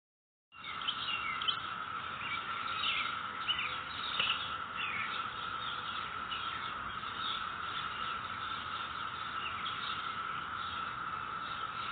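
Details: Cicadas in a neighborhood on May 22, 2021: a steady, unbroken droning hum at one even pitch fills the whole recording, while scattered bird chirps and twitters flicker above it.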